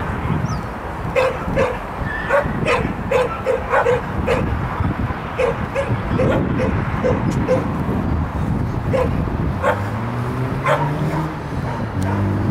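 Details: A Shetland Sheepdog called Lex barks excitedly through an agility jumping run on 12.10.14. Bursts of quick, clipped barks fill the first nine seconds, then a low droning hum takes over amid steady background noise.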